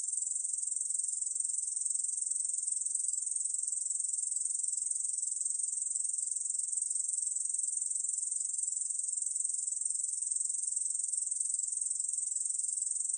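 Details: Korean bush cricket singing without a break, a dense, sizzling, very high buzz of quick regular pulses, recorded in 2020 for the National Institute of Biological Resources. Nothing else is heard.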